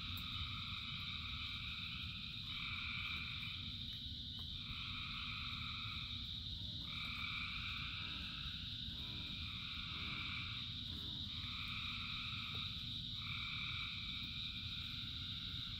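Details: Thousands of frogs calling in the rain: overlapping croaking bouts of one to two seconds, rising and stopping in turns over a steady high-pitched drone, with a constant low rumble of rainfall underneath.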